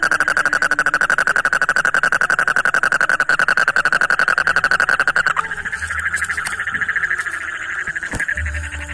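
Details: An Indian tropical frog, described as angry and screaming outside a pond in Odisha, gives a fast, buzzy run of rattling pulses, then a drawn-out, wavering scream.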